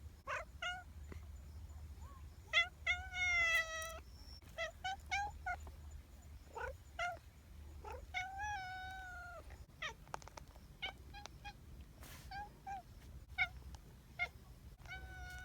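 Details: Several affectionate community cats meowing in quick succession, a mix of short clipped mews and longer wavering, pleading meows, some sliding up then down, with brief clicks between calls and a faint low hum throughout.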